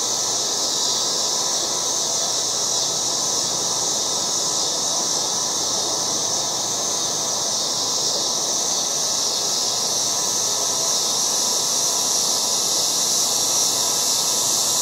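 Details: August cicadas in a yard sustain an unbroken, shrill, hissing drone with no pauses, a steady wall of insect noise.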